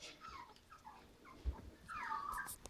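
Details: Havanese puppies at five weeks old, from a litter of seven (three females, four males), give faint high whimpers: short squeaky whines early on, then a louder wavering whine near the end, over quiet indoor background.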